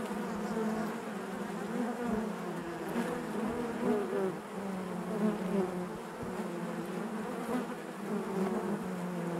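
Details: Nearly ten seconds of hive buzzing from honey bees, a thick, even low hum with shifting overtones and occasional brighter whines of bees passing nearby.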